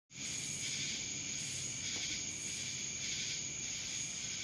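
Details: Cicadas in Dallas, Georgia: a dense, high buzzing chorus that starts abruptly and holds steady, with a thin constant whine above it and soft swells that rise and fall about once a second.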